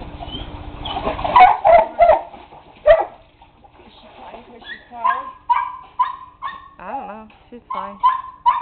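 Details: A dog lets out a run of high, whining yelps with bright layered overtones, several each second, after a stretch of human talking at the start.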